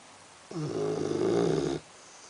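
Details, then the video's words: Sleeping Labrador Retriever Axel lets out one drawn-out, buzzing snore lasting about a second and a quarter, with quiet room tone on either side. "Labrador Roncando - Axel"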